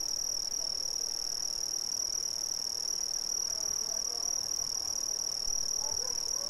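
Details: Chorus of Brazilian crickets, a constant shrill high-pitched trill ringing without a break, with a faint overtone above and soft low murmurs and hiss underneath.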